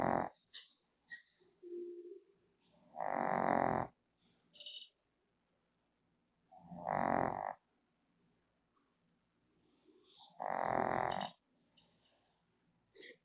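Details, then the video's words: A female Shih Tzu fast asleep on her bed in the Philippines snores loudly, a rough rasping breath every few seconds, as another dog wanders over to check on her. "Shih Tzu Dog Snores Loudly in His Sleep"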